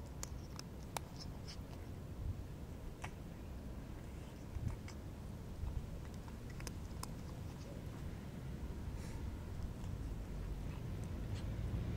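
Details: Low, continuous rumble runs underneath scattered light clicks and taps, with no animal call heard.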